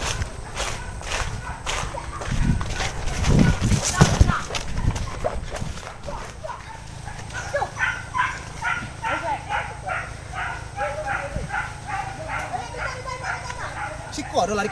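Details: Hunting dogs chasing wild boar behind bushes; after loud thumps and rustling, a fast series of harsh barks repeats about once a second, while hunters speak over the chase.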